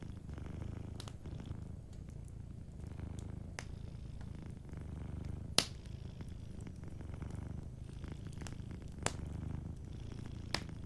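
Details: Cat asleep near a crackling fire, purring in a soft, even rumble that rolls on in repeated inhale-exhale pulses, punctuated by intermittent sharp snaps from the burning logs.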